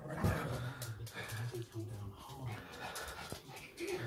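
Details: Maggie, a pet dog indoors, growls out of jealousy while another dog, Holly, gets all the attention; a low, rumbling growl pulses on and off throughout, with a person talking and calming the dogs over it.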